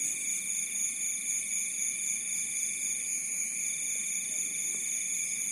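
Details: Crickets calling after dark by a rice paddy in Bantul, Yogyakarta, Indonesia: an unbroken, piercing high trill stacked in several pitches, steady throughout.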